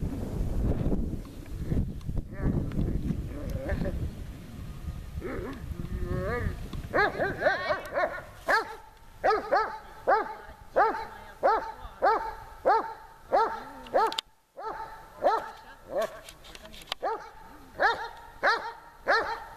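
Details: Dog named Tashik during training in Horlivka summer heat, 26 July 2020; after windy, muffled opening seconds, high arched barks repeat roughly every half second to second, steady series to the end.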